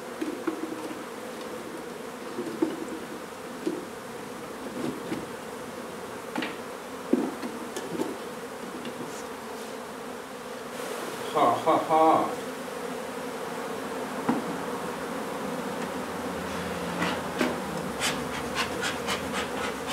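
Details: A nuisance honey bee colony in an old Donna, Texas house hums in a thick continuous drone while being relocated, overlaid by frequent tapping, scraping and rustling from the removal work, busiest toward the end.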